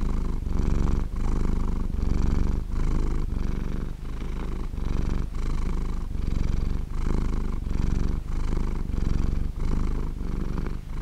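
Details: Purring from a sleeping cat, a thick low-pitched buzz pulsing in regular breath cycles, each phrase lasting under a second with soft breaks between, nothing else audible.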